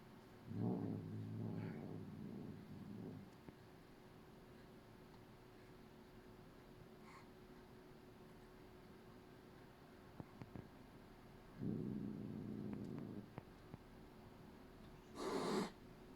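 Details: Norwegian Forest Cat grooming a Bengal cat and making noises while doing so. There are low rumbling, purr-like grumbles in separate bursts of one to three seconds, with quiet gaps between them, and faint clicks in the background.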